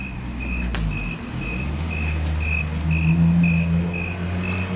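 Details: A loud cricket outside a house, its high, clear chirps repeating about every half second in a steady series over a constant low engine-like hum.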